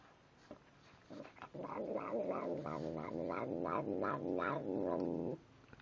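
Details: Mealtime muttering from Tim the cat: a steady growling rumble of about four seconds, pulsed by regular chewing beats, then quiet.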